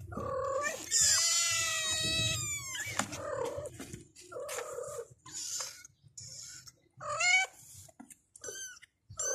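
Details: Kittens calling their mother, several overlapping high harmonic meows in the first seconds, then shorter scattered mews with quiet gaps and some low rumbling.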